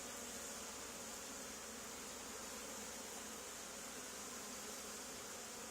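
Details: Honey bee swarm settled on the wall of an old barn, two days after another hive was cut out of the same building; a dense, steady, unbroken hum fills the recording without pauses or rhythm.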